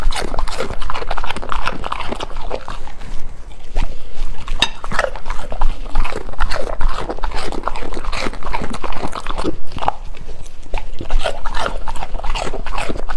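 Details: A golden retriever dog chewing and crunching its food steadily, a dense run of wet munching and crackling bites with low rumbling thuds throughout.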